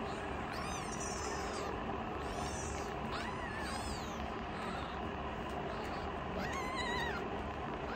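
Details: Youngest rescued foster kitten challenging its older sister kitten: a series of short, arching, harmonic meows at irregular intervals, some rising then falling, over steady low indoor hum.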